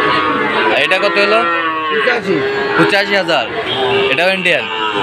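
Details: Market lowing from Sahiwal bull calves at the Ambari cattle market, Sylhet, Bangladesh, 2 October: deep, bending moos overlap one another, each swelling and sinking within about a second, with murmuring voices beneath.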